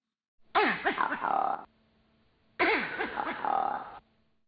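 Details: A monkey, in a discussion of Diana monkey alarm calls, gives what is presented as a leopard (ground predator) alarm: two harsh, tonal calls about two seconds apart, each a quick falling sweep settling into a steady nasal tone.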